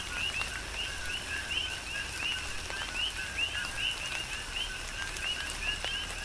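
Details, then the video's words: Rhythmic coqui frog chorus recorded in tropical rain on the Big Island of Hawaii: repeated upward-sliding two-tone chirps from several frogs, set against continuous rainfall and splashing drops. "Tropical Rain & Coqui"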